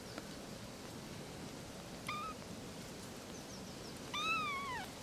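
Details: Three little kittens, two thin high mews a couple of seconds apart, the second longer and falling, over a steady hiss of background noise.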